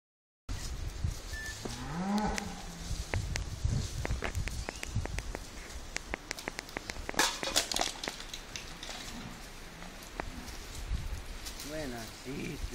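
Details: Bulls on a farm waiting to be vaccinated, 27 November 2012. A drawn-out, wavering low moo rises and falls early on, amid clattering, knocking and shuffling noises, with a shorter bellow near the end.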